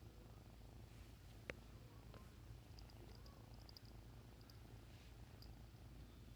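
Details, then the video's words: Bengal kitten giving a constant low buzzing purr, rhythmic and unbroken, interrupted by one sharp click near the middle and a few soft high ticks later. "Bengal kitten purring so cute!"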